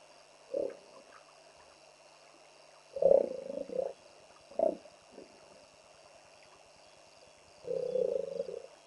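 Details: Territorial hippo confronting a trespassing hippo on the banks of the Olifants River, Naledi Game Lodge, greater Kruger National Park: a few short deep honking grunts, then a longer rumbling wheeze-honk, separated by quiet gaps with a steady background hum.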